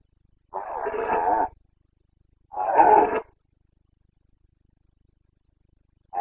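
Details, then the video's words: Red deer stag of the Carpathians roaring in Bucovina's forests during the late-September breeding season: two long, gravelly bellows about two seconds apart, then the start of a third, against silence. "Boncănit / Carpathian stag Breeding season"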